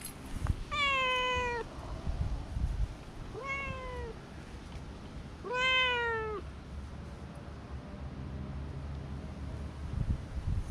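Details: Stray cats met along a walking path, one being petted while others approach; three drawn-out harmonic meows, each about a second long, slightly falling at the end, spaced a few seconds apart, with low rumbling background noise.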